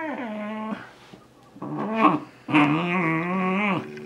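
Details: Male Shiba Inu, almost two years old, indoors and vocalizing while trying to catch socks. Drawn-out, wavering yodel-like whines with a strong rising-and-falling pitch, one long note, a short pause, then two more sustained howling calls.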